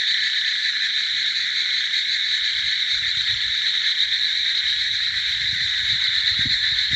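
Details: Numberless frogs call at once, blending into a continuous high-pitched trilling drone in two layered bands. The sound holds steady throughout, with soft low thumps near the end.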